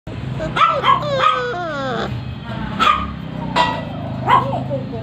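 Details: Labrador Retriever puppies in Barrackpore, West Bengal, give short high yelping yips and whiny rising-falling cries in a few bursts, with a person talking close by throughout.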